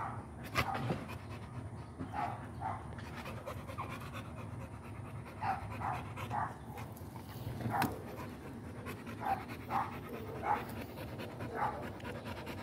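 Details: American Pit Bull Terrier panting steadily, broken by short, soft whining whimpers that come every second or so over low background rumble.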